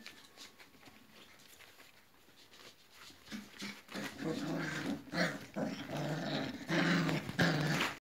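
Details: Flat-coated Retriever puppies almost four weeks old playing in the whelping box; low rough growls building after a quiet start, repeated roughly every second alongside snuffling and scuffling.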